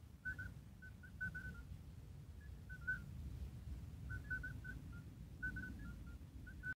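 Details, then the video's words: Midwife toads calling: short, pure, whistle-like beeps at a mid pitch, several animals overlapping at slightly different pitches in loose clusters, with pauses between bouts over a low rumbling background. "Call of midwife toads"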